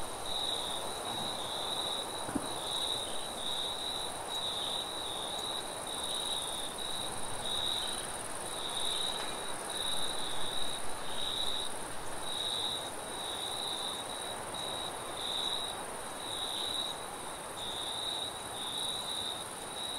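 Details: Crickets calling at night in a forest, an unbroken high shrill trill with irregular pulsing, set against gentle wind and a faint low thud early on.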